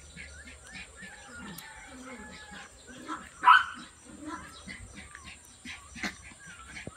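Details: Miniature Pinscher puppies being dewormed, giving one sharp, loud yelp midway and soft scattered whimpers, over a steady high electronic whine, human speech and handling clatter.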